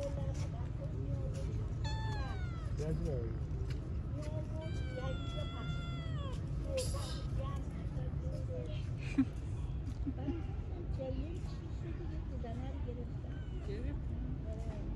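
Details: Stray street cats crowding each other to be petted give a short series of falling meows, then a longer drawn-out meow with bending pitch a few seconds later, over a steady low rumble of background noise.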